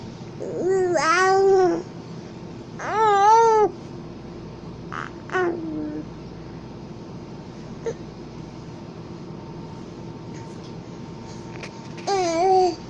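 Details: Napping house cat giving cute sleepy noises: a few wavering, rising-and-falling mews with rich overtones, a short chirp in between, then long quiet stretches before a final mew; indoors, no other sounds.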